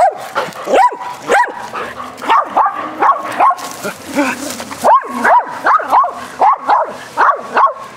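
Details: Playful barking from four dogs during a rough game of fetch on a spring day. Rapid, sharp barks repeat about twice a second, with a brief rustling noise midway through.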